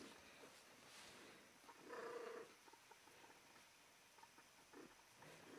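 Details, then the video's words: Female cat in heat, vocalizing while holding a come-hither pose: one short, loud, tonal mewing cry lasting about half a second near the middle, with faint scratchy household noise around it. "Female cat in heat makes a "come hither" pose"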